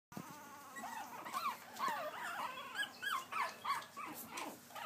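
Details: Pekingese puppies trying to climb a step give high, thin whimpering squeals, each bending up then down, coming in quick overlapping bursts about every half second with short breathy pauses between.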